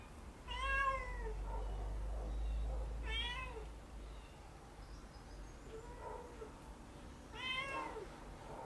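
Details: Domestic cats active at night: three clear, drawn-out meows with a falling pitch, spaced several seconds apart, with softer short chirrups between them in a quiet setting.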